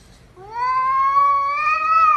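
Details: A pet cat gives one long, steady meow that holds level and swells slightly in pitch toward the end, in a quiet room.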